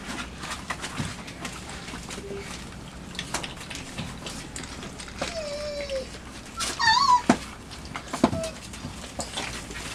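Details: Labrador Retriever puppies, five weeks and two days old, in their night kennel on 23 September 2015, exploring, chewing and claiming a box while romping; thin sliding whines, one falling and one wavering near seven seconds, over scratching, rustling and clatter.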